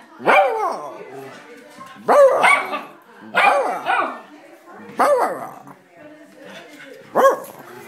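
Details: A worked-up domestic dog repeats five brief, strained howling barks roughly every one and a half seconds, each bursting high and sliding down, with short breathy gaps between them.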